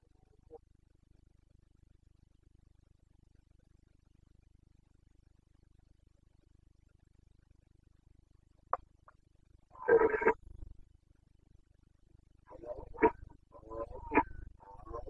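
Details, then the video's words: Red deer stag of the Carpathians, Bucovina, Romania, in the breeding season, 29 September 2022: after long quiet, a sudden harsh roar, followed by a series of shorter, strained grunting bellows. "Boncănit / Carpathian stag Breeding season"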